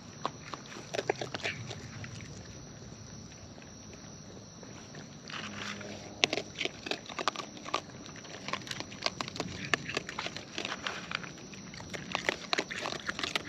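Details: Raccoons in the wild feeding at close range: scattered crisp crunches and clicks come in bursts between quieter gaps, set against a constant thin high hum and soft low rustling.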